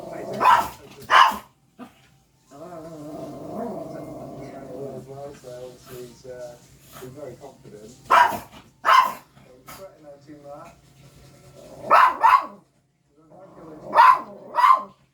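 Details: Indoor pet dog that barks every time animals come on the television; about eight sharp barks, mostly in pairs, spread irregularly over the recording with television speech filling the gaps.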